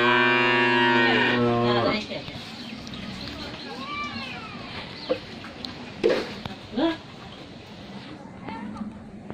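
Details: Thirteen-month-old Friesian heifer at a dairy farm in Pabna, Bangladesh, giving a deep, strongly harmonic moo lasting about two seconds that falls off at its end, followed by quieter speech and scattered knocks.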